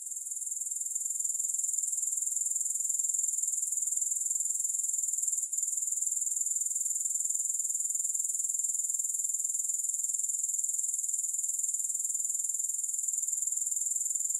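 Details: Grasshopper chorus without music: a continuous, very high, pulsing, sizzling trill that fades in at the start and stays steady throughout, with one tiny click-like break.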